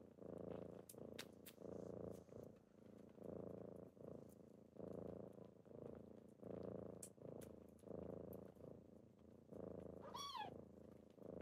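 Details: Kittens waking their owner in the morning purr steadily in rhythmic breath-linked bursts, and a short rising-falling meow cuts in near the end over soft rustles.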